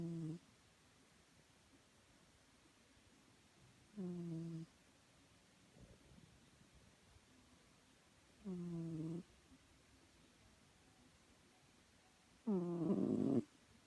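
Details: Chloe, a domestic cat, snoring indoors: four low, harmonic snoring bursts spaced roughly four seconds apart, each under a second long, the last louder and rougher, with quiet room background between them.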